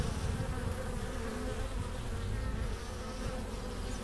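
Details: Foraging honey bees arriving at the hive entrance with pollen and nectar in April; an even, low, rumbling hum of numerous wingbeats with slight flutters in loudness.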